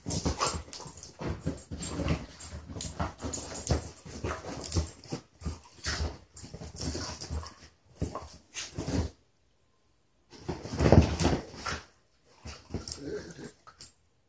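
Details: Beagles Mitzi and Lucky, rescued through SouthEast Beagle Rescue, wrestle on a couch indoors, giving dense strings of low gruff growls and huffs. The growls stop into near silence, then one loud scuffling burst follows.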